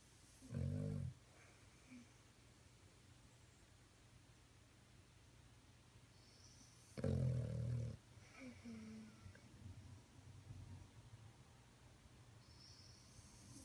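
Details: Domestic dog snoring indoors: two loud, low rumbling snore bursts near the start and around seven seconds, with softer, quieter snuffling breaths in between against a faint room hum.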